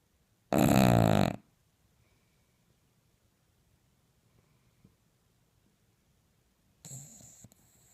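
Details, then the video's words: An English Bulldog snoring loudly at night, as on a typical night, with one harsh, rattling inhalation and a second, softer snore several seconds later. "English Bulldog snores the roof off the house"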